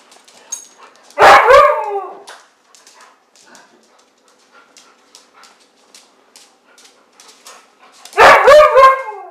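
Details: A female Siberian Husky, playing with a man, gives two loud, wavering howl-like yowls separated by several seconds of quiet.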